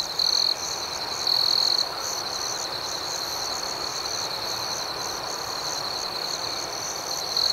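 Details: Nighttime crickets chirp in a continuous high pulsing drone. Louder, sharper trills break out at the start, around the second mark, and at the very end, over a faint hissing background.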